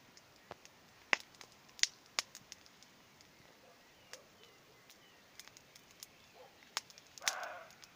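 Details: A roe deer barks once in the distance on an evening, a short hoarse burst late in the recording, while a campfire crackles and snaps with sharp pops throughout.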